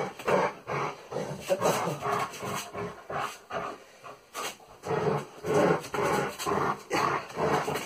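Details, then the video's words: Salvo, a German Shepherd in training, produces harsh, breathy growling pulses about twice a second in an uneven rhythm, with short pauses between the rough bursts. "Training together with a German Shepherd"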